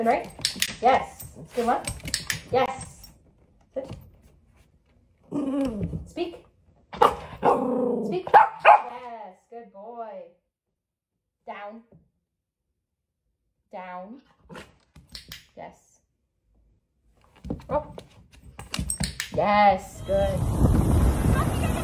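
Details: Playful miniature dachshund, a sausage dog, indoors: short arched whining yelps and a few barks in scattered bursts, some separated by quiet gaps, mixed with people talking throughout and a burst of loud rushing noise at the end.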